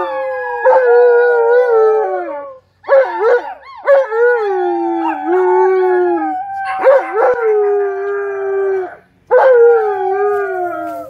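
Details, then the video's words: Tonka, an Alaskan Malamute, howls with visiting nieces on the deck; sustained mid-pitched howls with wavering, bending tones, broken by short gaps, several voices blending in a drawn-out chorus. "Malamute Has Company & They Have A Howling Good Time!!"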